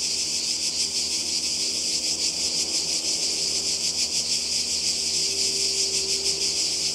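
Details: Seaside cicadas in Croatia during summer, many insects merging into one constant high-pitched buzz that throbs in fast irregular pulses, with a faint low tone beneath.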